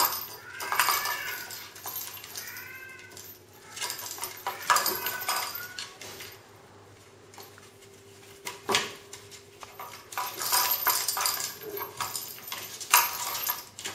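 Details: Onyx kittens playing with a toy: about three short harmonic meows in the first five seconds, each slightly rising then falling, set against repeated clattering, jangling toy noises that continue through the rest.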